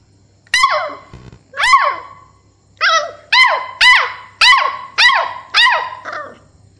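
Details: Two-month-old Beagle puppy barking for the first time: high, yelping barks that arch up and fall. Two come a second apart, then a quicker run of about seven at roughly half-second intervals, over a faint steady low hum.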